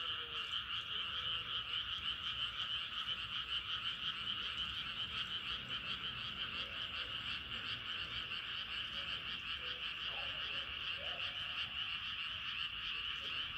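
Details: Frogs calling at night as the moon rises: a dense, unbroken chorus of high pulsing trills holds steady throughout, with a few faint lower croaks scattered beneath.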